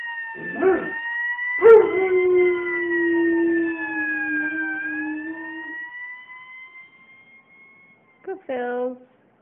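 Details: Dog named Ponyboy howling in sync with a passing fire engine siren: a long, steady, slightly falling howl held for about four seconds, then a short final howl, under the wavering wail of the siren.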